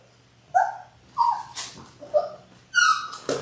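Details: Six-week-old Labrador Retriever puppies, one of a litter of six born January 18, 2022, indoors: a series of short high whining yelps with clear harmonics, four or five in quick succession, some rising slightly, with soft rustling between them.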